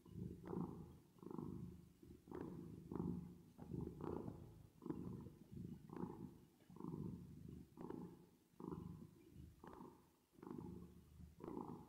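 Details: Domestic cat purring while resting and sleeping, with added reverb: a low, steady rumble that swells and fades in breath cycles roughly once per second, each exhale slightly brighter, over twelve seconds.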